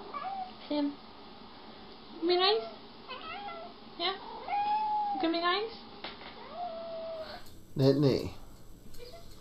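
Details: Pet cats, among them Butters and Nittany, described as jealous indoors: a string of short, rising-and-falling meows and drawn-out wails repeated every second or so, ending in a louder strained yowl, with a person talking to them throughout.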